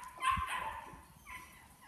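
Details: Male Belgian Malinois puppy in KNPV foundation training, son of Berry2, gives a short high yelping bark, then a second softer yelp a second later, over faint background rumble.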